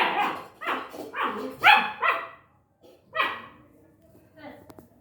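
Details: Long-coated German Shepherd puppy with a handful of bright, yappy barks early on, then a single bark after a pause, trailing off into soft faint sounds.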